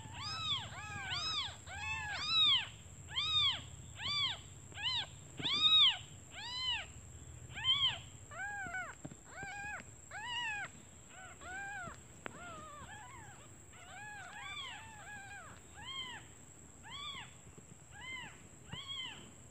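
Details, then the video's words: Several newly born kittens mewing for their mother out of hunger while she forages; rapid overlapping high arched cries, more than one per second, loud at first then softer, over a low hum. "Suara anak kucing memanggil ibunya"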